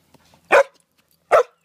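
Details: Two short, forceful barks about a second apart from Jasper the Samoyed during a game of fetch on a spring evening, with near silence between them.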